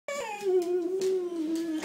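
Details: Boxer dog Hazel May, indoors, gives a drawn-out whine of nearly two seconds: a clear tone that starts higher, slides downward, then holds a steady, slightly wavering pitch to the end.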